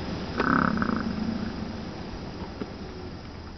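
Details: American bison (Bison bison) at Wind Cave National Park on July 27 gives a brief, deep, rumbling grunt that fades into a low growl.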